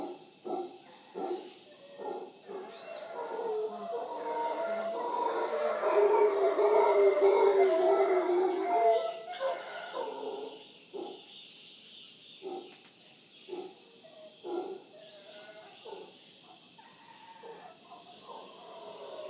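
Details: Wild howler monkeys visiting in the morning at Villa Toucan, Punta Uva, Costa Rica, near the Manzanillo Wildlife Refuge: a deep rolling roar swells to a peak mid-way, then fades into scattered grunts, with faint insect hiss above.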